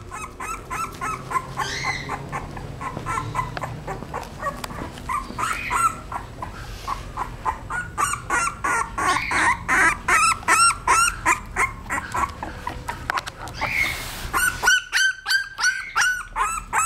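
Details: Female English bulldog puppy, 17 days old, from a sire imported from England: rapid, high, squeaky whimpering cries repeated about three times per second, nearly continuous, with slightly louder, shriller squeals toward the end.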